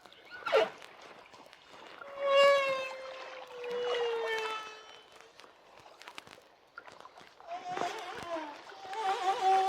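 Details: Song of a humpback whale off Hawaii, recorded where the water was shallow and deep echoes are reduced: a slowly falling, harmonic-rich moan, sharp clicks, and a rising wavering whistle near the end.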